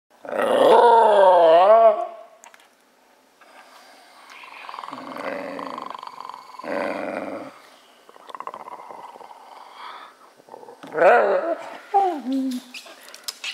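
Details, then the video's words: Wire Fox Terrier indoors, wanting a big silver balloon tied to a lamp and floating above him; a loud, wavering, growly whine for about two seconds, then quieter muffled grumbles and a final burst of rising and falling whines. "Basil the Wire Fox Terrier and the balloon"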